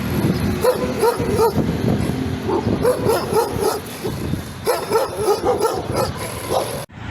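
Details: Dog yipping in quick bursts of short, rising high yelps, grouped in runs of two to four with brief pauses, over a constant background rumble; it ends in a sudden cut.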